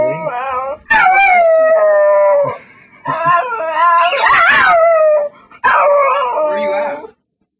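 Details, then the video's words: Pet dog howling as it begs, described as singing: several long howls with gentle downward slides and wavering pitch, separated by brief gaps, one phrase climbing sharply higher mid-clip. "the Singing Begging Dawgy"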